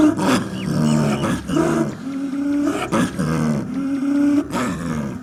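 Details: A snow leopard (Panthera uncia) gives drawn-out, moaning wails broken by short, rough, pulsed bursts, repeated every second or two.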